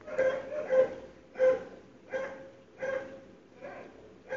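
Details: Dogs barking outside a home early on a February 2012 morning, loud even through sealed windows: separate hoarse barks spaced about every half to one second, some doubled, fading between calls.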